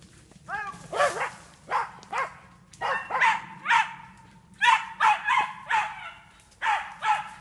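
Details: Jagdterrier training on wild boar in an enclosure in France; sharp barks with falling tails come in uneven bursts and pairs, a continuous low hum beneath.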